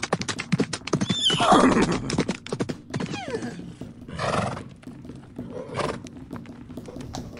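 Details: Horses in a fight: an explosive, noisy squeal early on, a falling whinny a few seconds later, and further rough squeals, all mixed with rapid hoofbeats and thuds.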